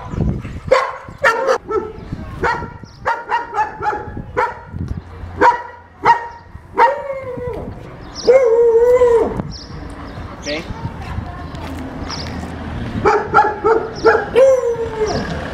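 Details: German Shepherd, called unmanageable, at a training lesson: bursts of rapid, irregular barking, then a longer drawn-out whining bark and a pause with faint noise before barking resumes.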